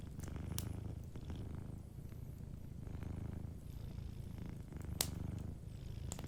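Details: Cat sleeping by the fire, purring in clear cycles of about two seconds: a deep buzzing rumble on each breath, softer pauses between, and occasional crisp crackles from the hearth.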